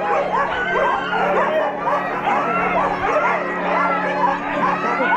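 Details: Many Siberian Husky sled dogs at Huskyhaven, Stonehaven, Scotland, yelp and whine together before running. The overlapping, high, wavering yips form an unbroken din over a low background hum.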